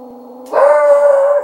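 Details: Shiloh, a pet dog, howls at his own reflection in an open closet door, frightened by it; a faint low steady tone, then a loud sustained mid-pitched howl that holds level and fades at the end.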